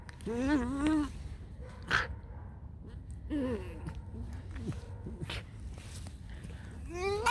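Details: Just-woken pet fox Alice makes short, bending squeaks and whines at the start, middle and end, separated by softer chattering noises and faint music.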